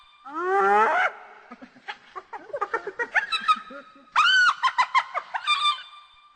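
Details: Hyena vocalising to keep in touch with its group: a drawn-out upward-sliding whoop opens, followed by a run of short, clipped, laugh-like giggling notes and a second loud burst of high, wavering yelps near the end.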